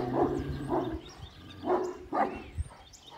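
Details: Kangal at a Turkish dog breeding farm giving four deep, hoarse barks spaced roughly half a second apart, each with a resonant low tone, over faint background hum.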